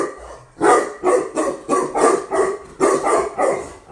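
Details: A newly imported female Tibetan Mastiff from Russia barks; after a brief quiet start, deep full barks come roughly twice a second in a steady run of about seven.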